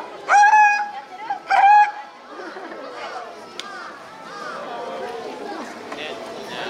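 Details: A South American fur seal at a zoo in Nasu, Tochigi, Japan, recorded on 21 June 2020, gives two loud, bleating calls, with a crowd chattering behind.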